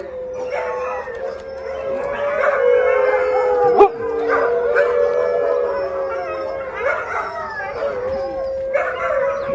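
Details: A pack of hungry rescue Siberian Huskies howls in the evening while waiting for dinner: one long, level, sustained howl carries throughout, with other dogs adding wavering howls and brief yips on top.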